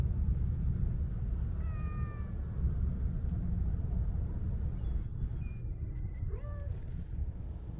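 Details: Petted Siamese mix stray cat, showing off its swaying tail, utters a short level meow, then after a pause a couple of rising-and-falling meows, the last dipping lower; a constant low rumble of traffic underneath.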